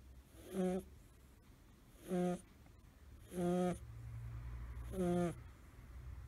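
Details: Snoring from Suzu, a male American Shorthair kitten aged five months with blue tabby fur, curled up asleep. Four rhythmic, rasping snore bursts come roughly every 1.5 seconds; a steady low hum joins the background midway.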